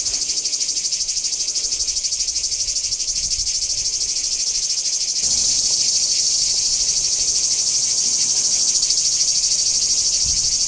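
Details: Cicadas singing at Kardamyli, 2013: an intense, high, rasping whirr pulsing steadily, stepping up noticeably louder halfway through and continuing without pause.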